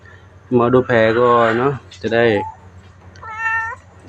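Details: Temple cat at Wat Pong Chai, Chae Hom, Lampang, Thailand, a newcomer that came to ask for food during feeding. A loud human voice comes first, then one short, clear, tonal meow that rises and falls near the end.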